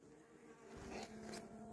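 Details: Honey bees of a caught swarm that had built unsuccessful queen cells, being given a young queen so they can overwinter; a steady low droning hum with a faint higher buzzing band and scattered rustling.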